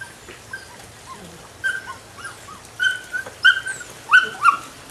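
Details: A nine-week-old female puppy of the Rodin/Katana litter gives high, thin whimpering yelps that start sparse and grow louder and closer together toward the end, with short tonal squeals over a quiet background.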